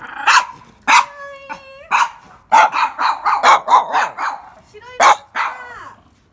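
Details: Mame Shiba puppies, many together in Kumamoto, yelp in sharp separate barks, then a quick run of high yips, with some thin whining tones in between.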